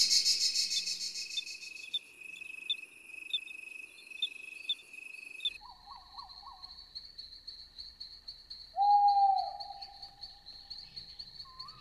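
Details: Cricket chirping in a steady, rapid, high-pitched pulsed trill that runs through the whole recording; midway the background changes, and a brief lower whistled tone sounds near nine seconds.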